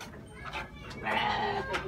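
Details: Young goat kid, eager for food as cut grass is brought to it, gives one wavering, nasal bleat lasting about half a second, with a shorter follow-on note and steady background noise.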